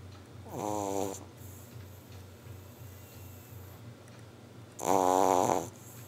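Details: Boston Terrier (Canis lupus familiaris), snore.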